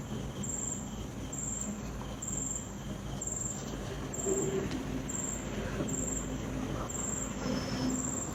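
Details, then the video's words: In calm nighttime ambience, crickets pulse out bright, rapid chirp bursts about once per second, with a steady low wind roar underneath and occasional faint tonal squeals. "Night sound effects"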